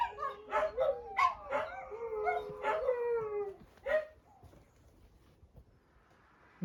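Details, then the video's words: Dogs shut in during a farm tour in County Kilkenny, Ireland, howling in protest: a few short wavering howls and yelps over about four seconds, then fading to quiet. "4 dogs aren’t allowed out out so howl their displeasure"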